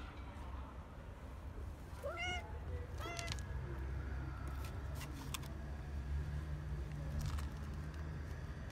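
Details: Street cats fed in a park or street: two clear harmonic meows close together, the first curving up then down, then clicks and a steady low rumble of traffic.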